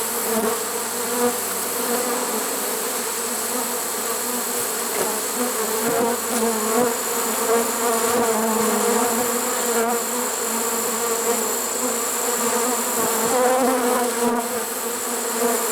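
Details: Trapped honey bee swarm, caught unusually late in the season on 1 September 2019. A continuous, thick hum of many wings fills the whole stretch with low steady tones and small rises and falls in loudness.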